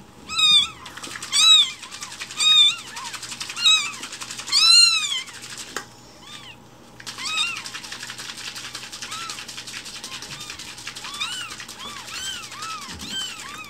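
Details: Loud, shrill meows from rescued infant kittens asking for their morning milk, strong arched cries about once a second at first, then fading into quieter, overlapping mews as the calling continues.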